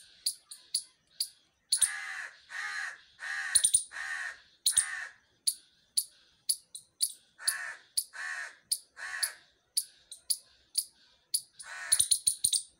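A squirrel gives harsh, rasping calls mixed with sharp, high chips in a rapid, uneven series.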